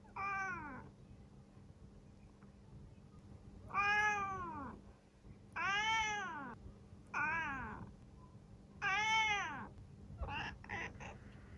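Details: Indoor black female cat, aged seven, from Japan, giving a run of five arched meows in about nine seconds, rising then falling in pitch, followed by short clicking sounds; faint room hum beneath.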